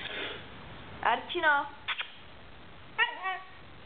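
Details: Siberian Husky talking to its owner: short, tonal, downward-gliding woo sounds, two main bursts about a second and a half apart, mixed with the owner's Czech speech urging it to speak.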